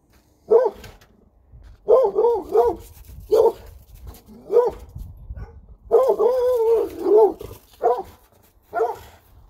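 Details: A Redbone Coonhound that has spotted a coyote in a field gives a run of deep, tuneful barks, some stretched into a longer wavering bay.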